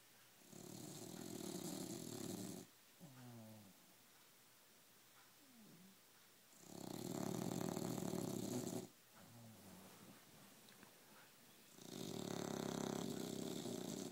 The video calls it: English Bulldog snoring